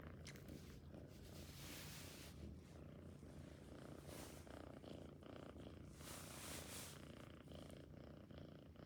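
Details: Cat purring continuously, a low even throbbing rumble with a few soft rustles and breathy hiss bursts mixed in.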